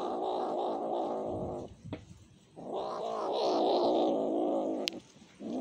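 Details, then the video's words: A cat cries to be fed, two long wailing meows with a warbling, slightly rising and falling pitch and a short gap between them, then a third starting at the end. "The cat sings sad sounds to eat"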